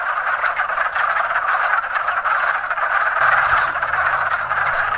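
Many wood frogs call together in a breeding chorus, each giving short, hoarse clucking croaks like quacking ducks. The calls blur into a continuous, pulsing rattle that barely pauses.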